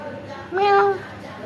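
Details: A single short meow, smooth and slightly arching in pitch, from one of the orange cats that came to a home, heard over a soft steady background hum.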